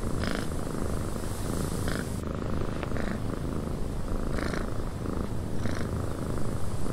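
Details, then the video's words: Cat purring softly in a cabin as wind blows outside; an even, low rumble persists under airy wind noise, marked by occasional short breathy puffs. "Cat Purring in a Windy Cabin 8 Hours of Blissful Purring"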